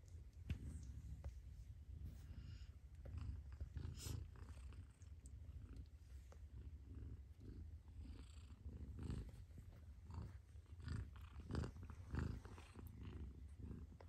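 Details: Purring from a mother cat in a small room, a deep rhythmic rumble sustained throughout with slight rises and falls in loudness and occasional soft clicks and rustles.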